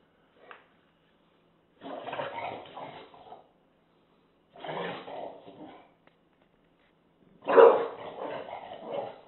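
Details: An English Bulldog confronting a taco box gives three rough, grumbling growls, each lasting over a second, with short silences between.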